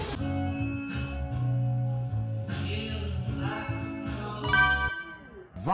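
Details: Background music fills the recording, with plucked guitar and held tones in a small room and a faint trace of voice. No animal call stands out.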